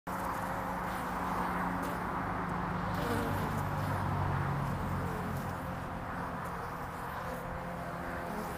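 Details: Honeybees coming and going on the landing board of hive Furzeleigh L3 on 22 February 2019, early spring; a steady, dense droning hum with overlapping low wingbeat tones that rise and fade as individual bees pass.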